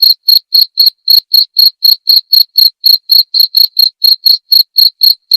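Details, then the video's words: Cricket sound used as tutor material for white-rumped shamas: bright, piercing chirps repeated steadily about four times a second, some twenty pulses, clean background without other noises. "masteran suara jangkrik jernih!"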